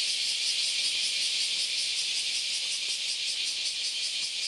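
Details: Massed cicadas on the Philosophy Path in Kyoto, Japan, one Sunday morning in August, producing a bright, buzzy drone with a quick, fairly regular throb running through it.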